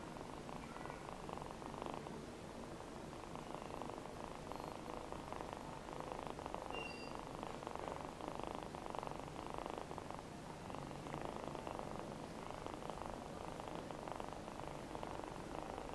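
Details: Purring from a rescued male feral kitten called Namba: a long unbroken vibrating rumble in repeated breath-length waves, slightly stronger mid-way, plus a few faint high clicks and light room noise.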